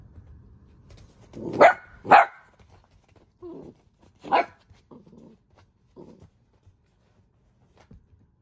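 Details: Golden retriever; bark; asking for help after dropping her bone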